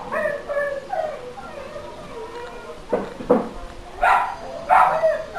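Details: Nuisance dog recorded for council noise monitoring; drawn-out whining tones at first, then four sharp barks spaced roughly a second apart, over a low background hum.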